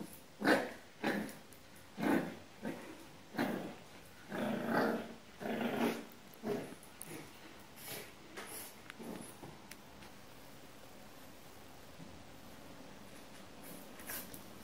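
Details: Ten-week-old French Bulldog puppy trying to reclaim its bed from an unimpressed cat indoors; a series of short rough growling and yapping bursts roughly every second for eight seconds, then quieter.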